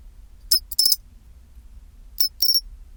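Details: Two high ringing chirp groups from a pine cricket at 24°C, each a quick tick leading into a brief tinkling trill, the chinchirorin song, separated by over a second of quiet hum.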